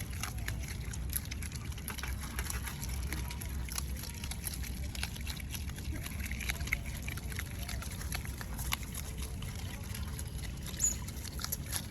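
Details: Low steady rumble with trickling, sloshing water and faint scattered clicks; no animal voice stands out, only water and background noise throughout.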